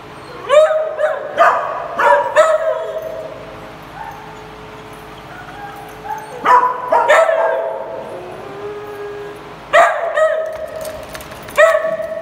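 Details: A group of dogs at play yapping in three separate flurries of quick, bright barks and whiny yips, with a long quieter stretch of soft whimpering between them.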